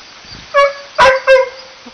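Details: Sled dog at a four-dog sled dog kennel while Dustmop meets Wookie, Bearbear, Silver and Balto: three short, loud, tonal yips in quick succession within two seconds, each with a clear bright pitch.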